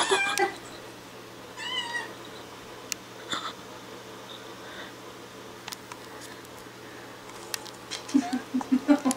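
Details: Distressed cat with a hair clip fastened to her tail, reacting indoors: a short wavering meow around two seconds in among scattered clicks and handling noises, then a run of low rhythmic thumps near the end.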